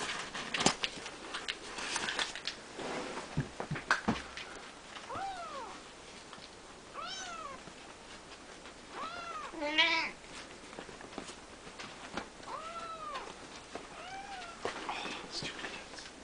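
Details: Three-week-old Siamese kittens in a play-pen with their mother and grandfather; high arched meows repeat every second or two from about five seconds on, over rustling, thumps and household noise, with a brief spoken voice.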